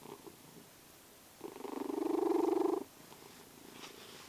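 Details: Sleeping pet cat Vasya gives a single rough, vibrating snore-purr lasting about a second and a half, rising in loudness then stopping abruptly, surrounded by near silence.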